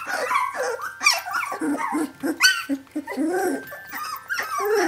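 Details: A litter of 17-day-old puppies calls for its mother Brenda: low wavering whimpers mixed with sharper high yelps, many short overlapping cries with brief gaps.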